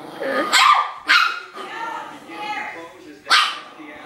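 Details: Playful Chihuahua puppy barking furiously at a person: three loud, high yaps, one near the start, one a half-second later and a last one after a pause, with a low growly murmur and speech between.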